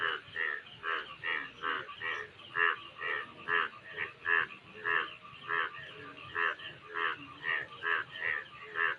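An Indian brown frog croaks in a steady series of short, rasping pulsed notes.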